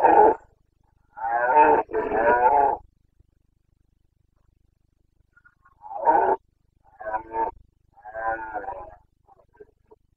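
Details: Carpathian red deer stag roaring in the Bucovina mountains, Romania, during the rut: a series of deep, rasping bellows, two long ones back to back, then shorter grunting roars trailing off, in a quiet background.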